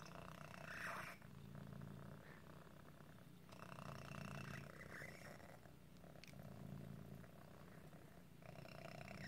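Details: Otis, a cat nicknamed Squeaky, has a deformity that sometimes makes breathing hard, much like asthma. A faint, raspy, rumbling purr pulses steadily, with swelling in-and-out breaths roughly every two seconds and a soft squeak near the start.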